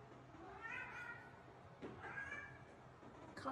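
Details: Domestic cat replying to its owner calling it: two softer, wavering meows about a second apart over a hissy indoor background, with a brief sound from the owner at the end.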